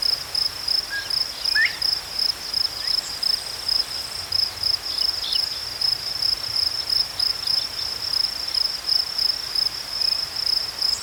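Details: Crickets chirping in a natural setting: a steady, high-pitched pulsed chirp in quick bursts about twice a second, with a fainter, higher band above it and a few scattered soft chirps in the background.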